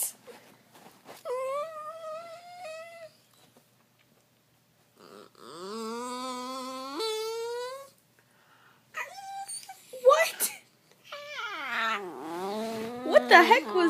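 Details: Trixie, a pet cat recorded indoors in 2014, making her signature weird noises: drawn-out, wavering moaning wails, some rising then held steady, in several separate bursts with short silences, ending in a louder, strained, sliding cry.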